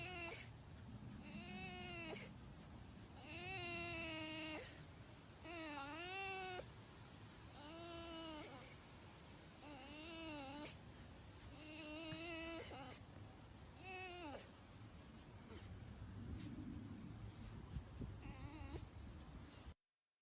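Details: A pet red fox (Vulpes vulpes), closely bonded with its owner, gives a string of high, wavering whines that bend up and down in pitch while being petted.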